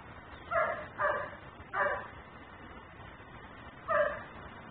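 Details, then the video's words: Dog left outside barking as a neighbourhood nuisance, caught by a camera recording in ten-minute cycles: four sharp, mid-pitched barks spaced about a second apart, then a pause before a final bark, over steady low background hum. "Barking dog no one hears.......but me"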